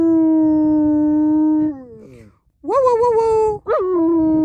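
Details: Pet German Shepherd singing: a sustained even howl that bends downward and fades, then after a short gap a loud rising wail that wavers and settles into a long drawn-out tone, with faint background murmur.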